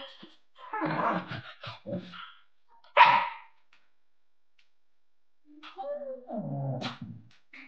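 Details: Young Japanese Spitz puppy from Kalimai's litter of three, born 5 October 2022, filmed during days 31 to 50 of growth; scrappy clusters of short barks, one sharp loud yip near the middle, then a lower growling bark sequence after a pause.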